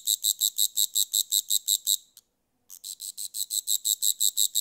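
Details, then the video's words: High, dry pulsing of a grasshopper, regular ticks at about five per second, stopping for roughly half a second midway and then picking up again at the same steady rhythm. "Grasshopper Sounds"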